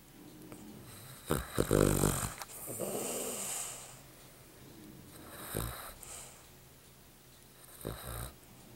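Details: A black Cavalier King Charles Spaniel snoring with rough, rattling breaths and snorts at irregular intervals.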